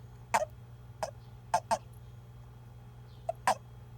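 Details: Male Japanese toad calling when picked up by hand, a call said to tell other males it is male when grabbed by mistake during amplexus: short sharp chirps, about six in four seconds, some doubled, over low steady hum.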